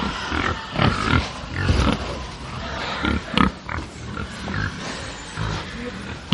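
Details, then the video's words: On a farm, angry pigs give deep, rough grunts and occasional squeals in irregular bursts, low and throaty, over a steady background murmur of the herd. "atmosphere of a farm with angry pigs"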